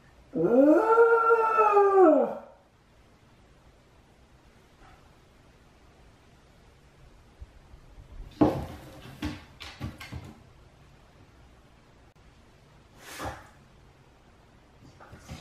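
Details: Lonely, clingy Shiba Inu howling while left alone as the other dog is walked; one long arching howl that rises then falls, followed by quiet rustling, thumps and a person laughing.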